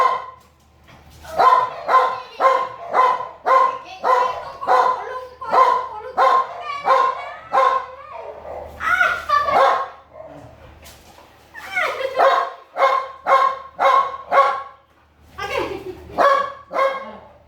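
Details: An American Bully gives rapid series of resonant, mid-pitched barks, roughly two per second, broken by a quieter gap midway before the barking resumes in another quick run and then a final short burst.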